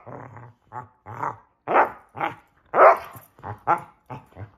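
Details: Pair of Basset Hounds at play during hide and seek, giving throaty barks and growly bays spaced about half a second apart, some rougher and lower, others brighter and louder.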